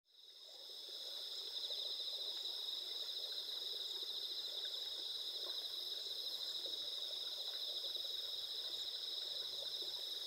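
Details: Autumn insects calling on a clear night of 20 September 2021 in the rice-field countryside of Asuka village, Japan, under a nearly full moon, recorded with a Sony a7SIII: dense, steady, high-pitched trilling chorus that fades in during the first second.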